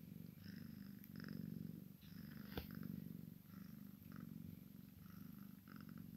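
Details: Maine Coon x Sphynx cat purr: a kitten plays with its mama while a deep, even rumble swells and fades in breath-length waves, with one sharp click midway.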